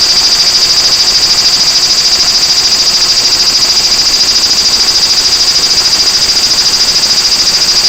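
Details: Large brown cicada (aburazemi) singing at Toyanogata Park, where the species fills the park with a chorus in August; an unbroken, harsh sizzling buzz, high and steady in pitch and loudness for the full length, without pauses.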